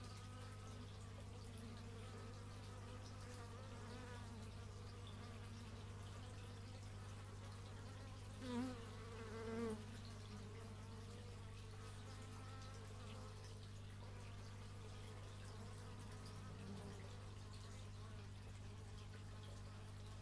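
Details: Buzzing bees captured with an x/y stereo microphone; overlapping droning tones rise and fall as individuals pass close, with two louder passes midway, all above a constant deep background hum.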